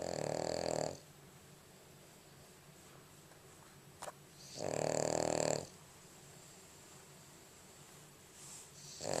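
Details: A Boston Terrier snores while asleep, in slow, rasping bursts of about a second each with quiet pauses between breaths; recorded February 11, 2011.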